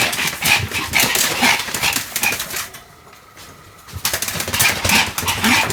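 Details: Sam the Pomeranian yapping while spinning fast, recorded 1 November 2015 indoors; bright rapid barks in quick bursts, broken by a near-silent second-long gap before the yapping resumes just as fast.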